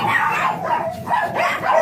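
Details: Blue Miniature Pinscher named Ziggs at a kennel in Manaoag, during a morning breeding session; sharp, repeated high yapping barks every half second or so, steady and loud throughout.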